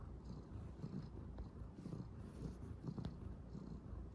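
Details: Calico kitten purring while kneading on bedding, a low continuous rumbling purr with soft pulsing rhythm and faint rustling of fabric.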